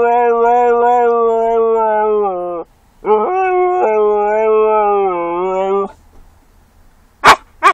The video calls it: Razor the Siberian Husky sings some more